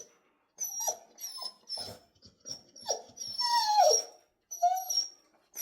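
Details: Jindo dog indoors protesting vocally after being told to wait, until its owner offers to go together: a run of high whiny squeals mixed with short grumbling, falling yelps, repeated about every half second.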